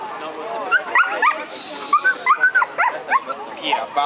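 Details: Female Siberian Husky at the 2012 International Dog Show of Rende, open female class. Bright, high yelping whines arrive in quick rising-and-falling bursts, about a dozen, with a person talking underneath and indoor crowd noise.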